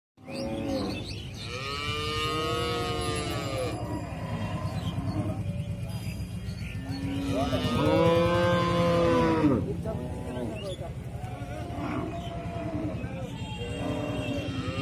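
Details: Cattle lowing in repeated long, drawn-out moos with rising and falling harmonic tones, one loud bellow near the middle, over a steady low rumble and background music.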